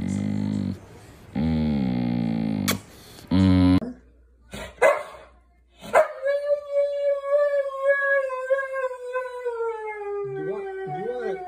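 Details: Dramatic Siberian Husky: after a few choppy low, buzzy vocal snippets and abrupt cuts, one long howl starts high and slowly slides lower over about four seconds, ending in short wavering yips.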